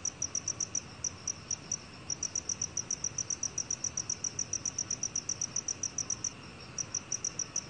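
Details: Chirping of a black cricket, from a 2020 National Institute of Biological Resources recording: bright, high pulses at nearly four per second, broken by short gaps, against a soft hissing background.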